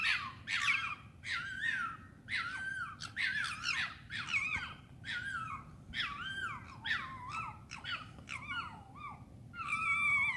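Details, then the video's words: Urban foxes at night in London, England, giving repeated harsh, wavering screams with strong harmonics, bursts roughly every second, some rising then falling, over a low steady background hum. "Foxes scream at night in London"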